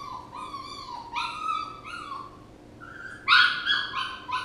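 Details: Whimpering puppy: a few drawn-out, wavering whines, then a louder burst of quick, shrill yelping whimpers near the end, over low room hum.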